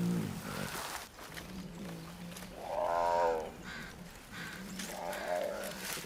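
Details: A dominant adult brown bear gives soft, low, rough, moaning growls in two short bursts. He stands nine feet tall and has just driven off a younger rival in the snow to claim a carcass and territory.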